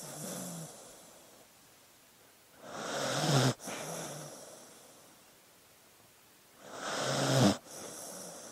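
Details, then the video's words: Dog snoring in its sleep: two long, swelling inhaled snores roughly four seconds apart, each ending abruptly with a rough, low rattle, followed by softer, breathy exhales. "Sleeping Dog Sounds"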